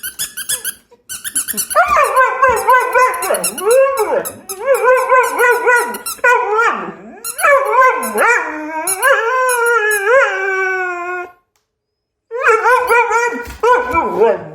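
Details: Dog. A dog vocalizes in a string of tonal whines and howl-like yowls that rise, fall and wobble like talking. After a brief silence it resumes with a few more quick, rising cries.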